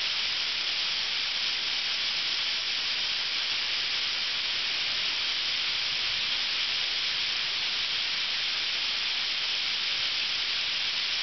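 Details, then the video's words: Ryokuchi park, North Osaka, in high summer: thousands of cicadas, active from sun-up across a two-month season, produce a relentless sizzling buzz, even and unvarying, with nothing else audible above it. "10000 CICADAS"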